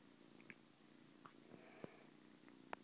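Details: Newly adopted kitten, a 7-week-old former stray found alone in a garage, on its first morning in a home, giving a continuous soft low purr broken by a few sharp clicks and taps.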